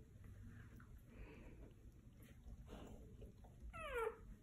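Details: One-day-old Golden Retriever puppies from Quinn's litter: after soft rustling and faint murmurs, a short, high, falling whimpering squeal rises clearly near the end.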